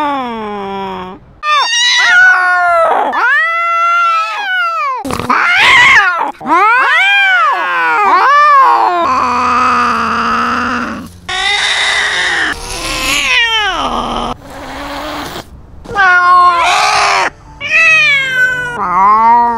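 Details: Cat fight over territory filmed from a GoPro on the cat: dense, overlapping yowls and harsh screaming wails, pitch sweeping up and down, with rough noisy bursts mid-clip and almost no pauses.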